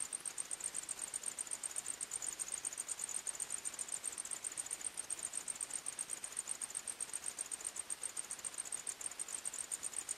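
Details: Crickets chirping at night in a forest: a steady, very high-pitched trill pulsing in a fast, even rhythm, with no other clear sounds.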